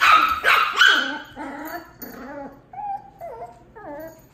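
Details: Miniature Pinscher puppy, two months old, and a Dachshund of one year six months meet: a quick burst of three harsh barks, then a run of thin, wavering whiny yips with falling and rising pitch.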